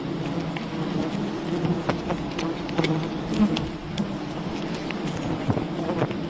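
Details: A wild honey bee colony droning steadily during a honey harvest, a smooth low buzz with a softer higher overtone and a few light clicks scattered through.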